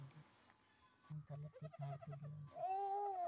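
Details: Young goat kid urged by people to call loudly; a man's coaxing speech in short bursts is followed by a sustained, steady, slightly arching bleat rich in harmonics.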